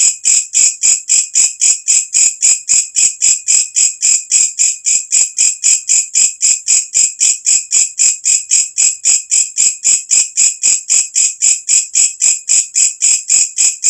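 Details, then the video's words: Loud nighttime katydid chorus, the kind of natural recording songbird keepers use for tutoring: an unbroken train of harsh, high, buzzing pulses, about four per second, very even in rhythm and loudness throughout. "walang kecek masteran untuk semua jenis burung"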